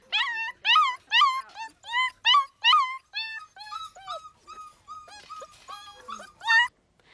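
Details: Dog crying and whimpering, a sound tied to loneliness and boredom but often a sign of pain: a run of high, whining cries with rich overtones, the first seven loud and drawn out, then softer, shorter whines, closing on one loud cry.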